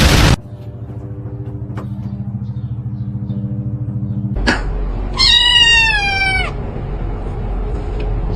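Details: Domestic cat gives one clear, drawn-out meow that slides gently downward, after a sharp opening burst and several seconds of steady low hum.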